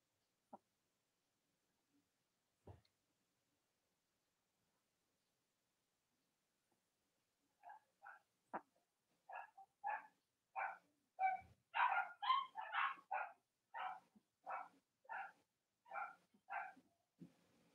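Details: Cavalier King Charles Spaniel puppies indoors on a chilly late-October morning, from litters of three nursing mothers: after near silence, a run of rhythmic whining yelps begins, repeated about twice a second and rising in strength before easing off.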